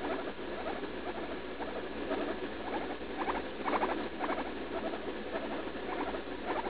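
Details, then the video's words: Pet guinea pig Leslie, about three years old, vocalizing in pain while defecating after a leaf lettuce treat, June 16. Rapid stuttering squeaks come in short bursts of stacked tones, repeating irregularly over a steady indoor hiss. "Guinea pig in pain while pooping"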